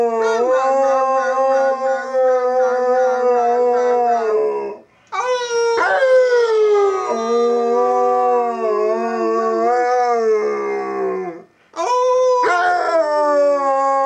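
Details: Pet dog indoors in a quiet house, howling on an owner's prompting; said to howl whenever the phone rings. Long sustained tonal howls, steady then wavering, in three bouts broken by brief pauses.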